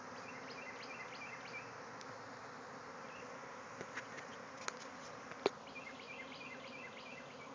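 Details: Thousands of bees swarming from a backyard hive. Dense, even buzzing hum, sprinkled with repeated short bird chirps and several sharp clicks or taps.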